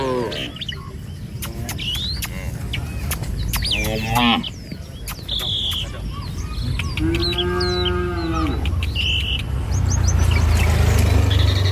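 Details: Herd of tame cattle wandering a village road in the morning, travelling to a field to graze; one long, low moo late in the clip, surrounded by dense chirping and whistling birds and a steady rural rumble.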